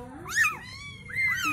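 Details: Newborn Bengal kitten mewing indoors: two thin, high, arched cries, each rising then falling in pitch, with a short pause between them.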